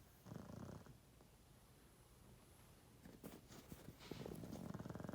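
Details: Loud snoring from an elderly pug, 12.5 years old, asleep: two low, throaty, fluttering breaths, one short near the start and a longer, stronger one at the end, with soft rustling between.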